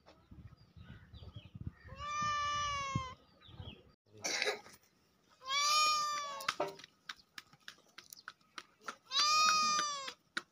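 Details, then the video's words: Cat repeating drawn-out, even-pitched meows, three in all, spaced roughly three to four seconds apart, with scattered clicks and a short noisy burst of handling in between. "cat videos sound"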